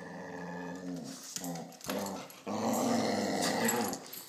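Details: Pet dog growling in a home with two dogs, Max and Princess, where Princess sometimes dislikes Max; a low, rumbling, layered growl broken by brief pauses near one and two seconds, then swelling louder and holding steady to the end.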